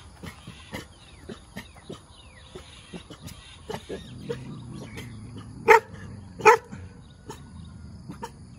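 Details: Cute, good-natured dog barking while wagging its tail: two loud, sharp barks about a second apart near the end, preceded by a low rumbling grumble and scattered faint clicks and taps.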